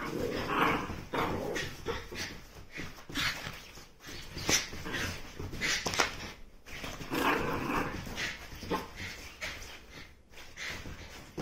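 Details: A 3-year-old female Mame Shiba Inu in Fukuoka, Japan, yelps, whines and barks in short repeated bursts early in the morning, around 7 o'clock, to rouse her owner for the third day in a row.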